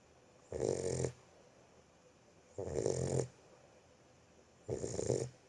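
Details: Boxer puppy asleep, snoring in a steady rhythm: three husky, rasping breaths, each about half a second long, come roughly every two seconds in a quiet room.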